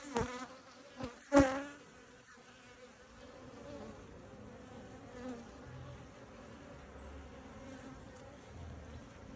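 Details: Honey bees at their hive during an inspection: a few sharp knocks and clicks at the start, then a soft, steady droning hum that carries on throughout.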